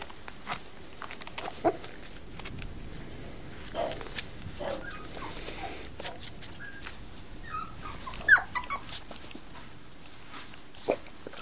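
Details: An 8.5-week-old Norfolk Terrier bitch puppy, recorded 5 May 2015, gives a few brief, high, thin whimpers, most clustered around the eighth second, over quiet background rustling and soft footsteps.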